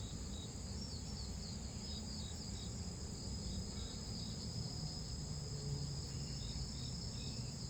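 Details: A blackish cicada in Korea, a big species, drones in a loud, steady, high-pitched buzz that never breaks, noisy rather than pleasant.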